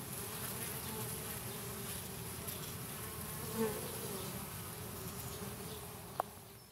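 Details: A dense, steady drone of many honey bees buzzing together, low and unbroken throughout, at a hive being robbed, with robber bees flying erratically and fighting at the entrance.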